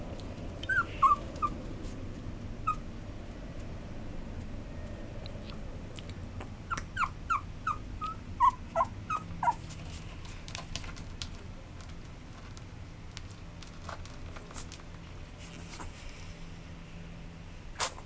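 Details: Maltese and Chihuahua mix dog, dated 29 August 2012, whimpering: short high tonal cries, a pair near the start, then a looser cluster of about six squeaky whines midway, followed by faint scattered clicks over low background hum.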